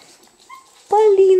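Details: Russian Toy puppy at a kennel, indoors: a faint short squeak, then a sustained, steady, high-pitched whining whimper with a slight dip, amid a woman's voice.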